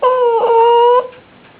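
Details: Buddy, a pet dog frozen in place indoors while wearing a Santa costume, refusing to move until it comes off, gives a strange steady high whine lasting about a second, wavering briefly midway, then fades into quiet room tone.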